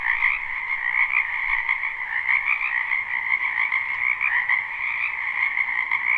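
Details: Frogs massed in a springtime wetland behind a home, captured live: loud, overlapping high-pitched trilling croaks with some wavering individual voices standing out over an even, unbroken chorus.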